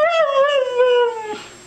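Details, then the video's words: A pet Siberian Husky 'talking' in a drawn-out, wavering howl-like vocalisation that slowly slides downward over about a second and a half, answering its owner's repeated affectionate words indoors. "TALKING HUSKY!!!"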